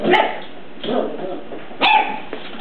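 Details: Puppy meeting its big cousin dog for the first time; a few short sharp barks and yips, three bursts spread across the moment with quiet gaps between.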